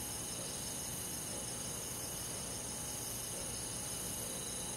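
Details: Summer-night insect chorus with crickets in a rural forest, a dense wall of continuous high-pitched trilling in stacked bands, evenly sustained, with a faint low hum beneath and no other clear sounds.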